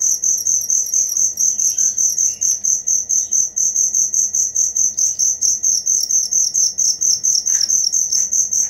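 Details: Steady cricket song: loud high-pitched chirps pulsing roughly two times a second, evenly sustained, with a few faint background bird notes.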